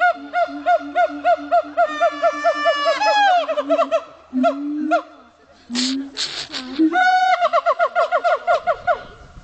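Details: Siamangs at Dubbo zoo in NSW: rapid series of arched hooting whoops, a rising scream-like slide around three seconds, then a pause with low booming notes before the quick whoops resume.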